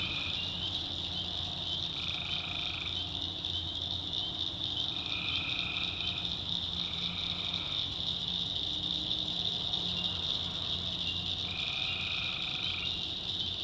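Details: Tree frogs calling at night in a North Carolina backwoods swamp: a dense, steady high-pitched chorus, overlaid by lower buzzy trills lasting one to two seconds that recur five times.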